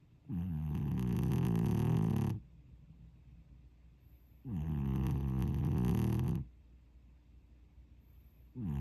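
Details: Sleeping domestic cat snoring: deep, rumbling, low snores about two seconds long, each breath repeated roughly every four seconds, with quiet pauses between them in an indoor setting.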